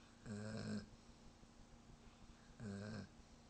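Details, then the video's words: German Shepherd dog snoring while asleep: two rough, low breathy snores about two seconds apart, each lasting about half a second, with quiet breathing between. "German shepherd snoring"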